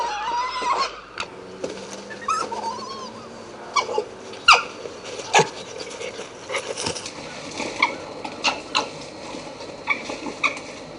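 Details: Red fox (Vulpes vulpes) gives high, whining arched cries mixed with sharp yelps and clicks, social calls between foxes such as whines and gekkering during fighting or playfighting.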